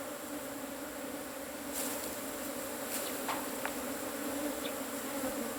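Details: Asian honey bees from a cavity nest as the hive is harvested: a steady droning hum with a clear low tone and higher overtones, unbroken throughout, with a few faint sharp clicks partway through.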